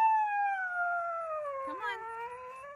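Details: A Siberian Husky in a car that it will not leave howls in one long drawn tone. The pitch slides slowly downward with rich overtones, wavers in a short break near the end, then levels off and lifts slightly. Little background sound.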